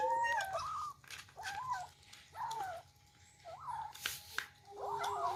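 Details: Kittens eating for the first time and squabbling over food, rice mixed with fish: high, wavering meows about once a second, some overlapping, with faint clicks and soft indoor room sound between calls.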